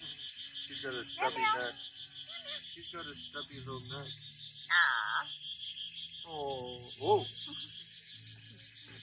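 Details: Island cat in Koh Chang, Thailand, meowing for attention while being played with: several short harmonic meows, then a longer rising-and-falling meow midway, over a constant high insect drone and Thai speech.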